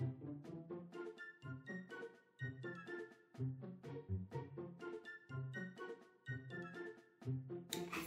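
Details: Light instrumental music with plucked, bell-like notes over a steady low bass line, with a faint clink near the end and no animal voice.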